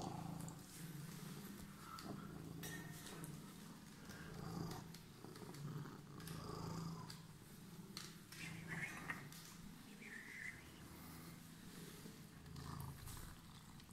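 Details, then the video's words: Emerald-eyed pet cat purring indoors after waiting for its person; continuous low pulsing rumble rising and falling with each breath, plus light rustling and small handling noises. "Purring Emerald eyes cat was waiting for me"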